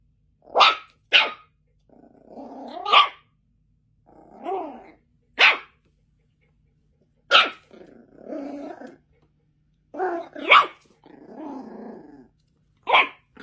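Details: Yorkshire Terrier alternating sharp, high barks with low rumbling growls between them, an agitated back-and-forth of yaps and throaty grumbles over about thirteen seconds.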